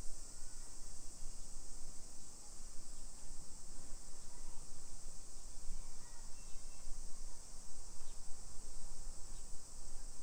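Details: Cicadas singing in summer in a modern hillside neighbourhood of Nisshin, near Nagoya, Japan, at 1 PM on 28 July 2021: a dense, even, high buzzing wall of sound, with faint brief chirps and low outdoor rumble beneath.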